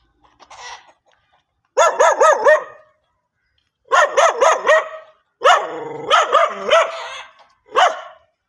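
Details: Dog barking in short bursts of three to four sharp, harmonic barks, separated by brief pauses, with a faint yip at the start.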